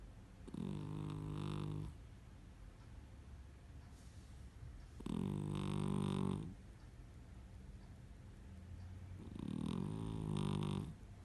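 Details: A cat snores while asleep: three long, rough, low-pitched breaths, each lasting over a second, coming about every four seconds with quiet pauses between, indoors.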